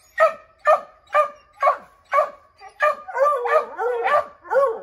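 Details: Redbone Coonhounds baying at a chipmunk treed in an oak: a steady series of loud barks about twice a second, then overlapping barks and wavering howls from more than one dog.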